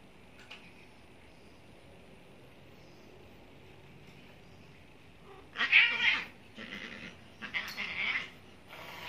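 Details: Young neutered Maine Coon, one year old, attempting to mate with a 16-year-old Persian: quiet at first, then a burst of loud harsh caterwauling yowls in quick succession over the last few seconds.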